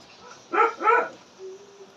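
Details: Pomeranian puppies: two sharp, bright puppy barks in quick succession, followed by a soft, thin, drawn-out whine over a quiet room background.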